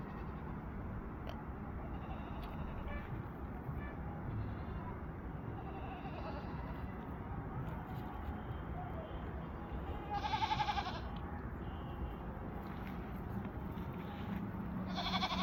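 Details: Barbari goat at a goat farm in Gorakhpur, giving a short wavering bleat rich in harmonics midway through, with another bleat starting at the very end, all over a constant low rumble of passing traffic.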